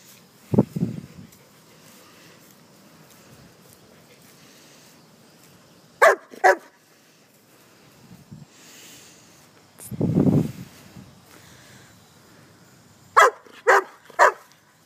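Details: German Shepherd pet dog out among leaves gives a deep single bark near the start and a longer low bark about ten seconds in, separated by quiet stretches and sharp crackling bursts of rustling leaves.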